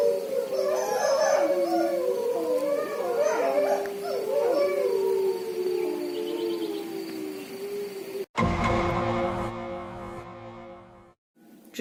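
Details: Several grey wolves howl together at night at an eco-park in the Pyrénées-Orientales, France, in long, overlapping, wavering tones that rise and fall.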